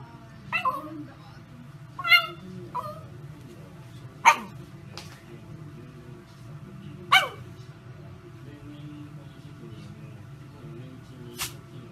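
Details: Shiba Inu barking indoors: sharp, short barks with whiny, rising yelps, spaced a couple of seconds apart, louder bursts near four and seven seconds, over a steady low hum.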